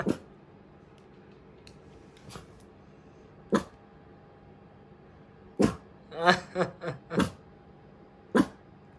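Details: Kotaro, a tiny black mame Shiba Inu born 2 July 2019, barking indoors in fright at a running toy mouse from a 100-yen shop, though he usually never barks. A quick burst of four short harmonic barks comes mid-clip, with sharp isolated knocks around it.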